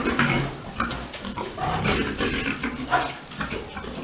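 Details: Boar and sow mating on a pig farm; short, low, nasal grunts follow one another in quick, uneven succession with a few sharper squeaky notes, in a reverberant indoor pen.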